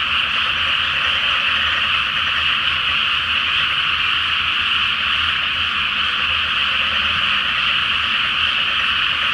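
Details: Full-moon night over a flooded pre-planting rice paddy where a frog chorus fills the air: dense, rattling croaks pour out without pause as one continuous, even roar.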